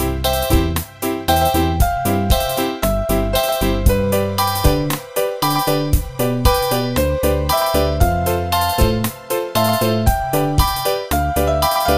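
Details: Loud, bouncy keyboard music with a steady beat fills the recording, and no animal sound is heard.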